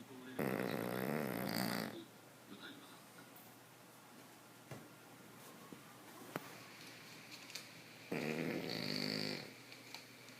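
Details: A sleeping Boston Terrier, a flat-faced breed, snores loudly: two long, rasping, throaty snores about eight seconds apart, with a quiet room between them and a few faint clicks.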